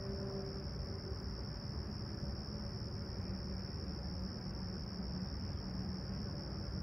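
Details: Crickets chirp at a calm, clear summer sunrise at Humber Bay Shores in Toronto on 28 July 2020, 20ºC. A continuous high, even trill runs over heavy low rumble and a faint droning engine hum.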